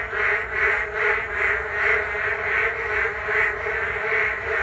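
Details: Frogs calling en masse by the Geum River walking path on a rainy day, a pulsing, rattling chorus with evenly spaced swells about twice a second.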